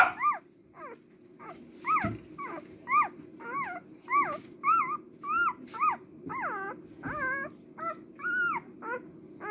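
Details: Cardigan Welsh Corgi female puppy, born March 18, calling with a rapid series of high, arching whines and yips, each note sliding up then down, about two per second, over a steady low background hum.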